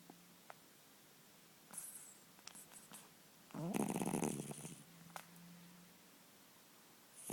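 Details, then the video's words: A sleeping 10-year-old cat snoring like a man; a long, loud rasping snore builds mid-clip after softer breathy sounds, with a faint low hum indoors. "Sleeping,snoring cat"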